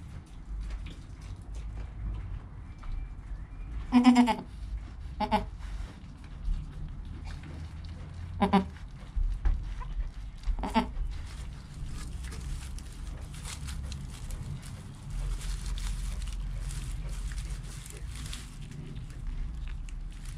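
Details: Newborn goat kid named Joel, within an hour of birth, mother Penny calm nearby, recorded on a GoPro; four short, quavering, harmonic bleats spaced a few seconds apart over a low rumbling background.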